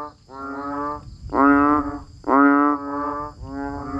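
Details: In rainy weather, banded bullfrogs and other frogs give loud, buzzy, moaning calls. Two strong notes start abruptly and fade over half a second, set among softer overlapping callers and a thin steady high drone.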